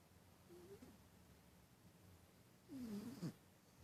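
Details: Sleeping cat snoring, two breath sounds: a faint low whistly note around half a second in, then a louder wheezy, wavering tone with a breathy hiss near the end, over quiet indoor background.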